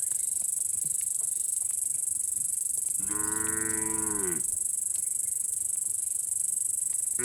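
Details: Cattle herded through forest toward their shed, jumping happily: one long, deep, harmonic moo lasting about a second and a half mid-clip, with a constant high-pitched buzz running throughout.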